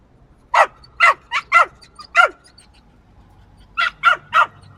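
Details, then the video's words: A small yappy dog lets out a run of five sharp, high-pitched yaps, falls silent for over a second, then fires three more in quick succession against near silence. "Small Yappy Dog Barking."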